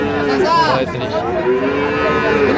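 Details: Small calf at a cattle market in Pabna, Bangladesh, 12 May 2025, while buyers bargain: an arching moo swells and falls, followed by lower, softer moos under steady voices and crowd noise.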